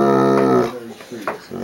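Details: Bloodhound vocalizing at dinner time to get food: a sustained moaning howl that breaks off, followed by brief grumbling whines, in a small room.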